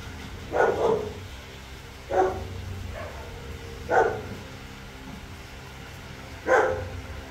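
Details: Three-week-old puppies at play, giving four short, high yipping barks spaced about two seconds apart, each a brief sharp burst, against a quiet low background hum.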